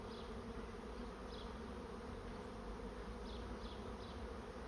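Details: Constant droning hum of a honey bee swarm moving into a trap, even in loudness, with occasional faint high chirping notes in the background.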